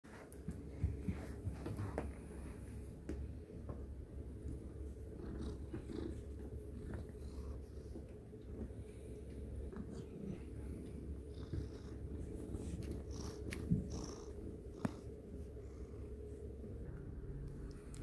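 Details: Domestic cat purring indoors, a steady low rumble that runs unbroken through the whole stretch, with a few faint clicks and rustles on top.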